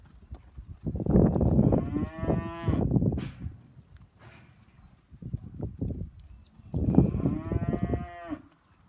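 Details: Hereford steers in a herd of 56 lowing: a loud rough moo with overlapping bellows, a pause with background shuffling, then another long harmonic moo that rises and falls.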